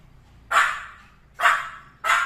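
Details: Indoor pet Pomeranian, watching something invisible to its owner, barks three times in a row: short, high, sharp yaps spaced roughly a second apart, each with a brief trailing decay.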